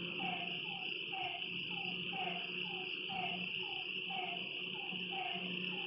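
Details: At night beside a lake, frogs repeat short descending calls in an even rhythm while crickets keep up a loud, unbroken high-pitched trill.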